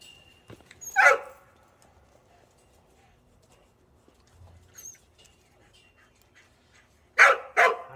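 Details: Cheondung the dog, after a walk, gives a single loud bark, falls quiet through a long stretch of faint background sound, then ends with two quick barks in a row.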